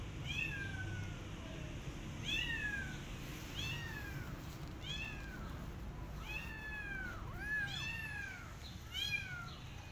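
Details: In a garden, a Persian cat with her adopted kittens watches rabbits; a steady series of about nine high-pitched, plaintive meows, arched and falling, a couple doubled up, over faint low outdoor murmur.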